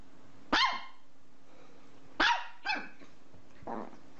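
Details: Domestic dog barking indoors: one loud harmonic bark, a pause of over a second, then a quick pair of barks and a softer, muffled final bark, over low background hum.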